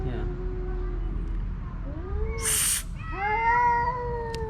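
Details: Two homeless male cats in a drawn-out vocal standoff over a female house cat; low moaning wail, a short rising yowl, a brief hiss-like burst of noise, then a loud, sustained descending howl.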